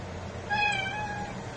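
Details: Calico cat letting out a short, softer meow under a noticeable background hiss, brief and slightly rising then level.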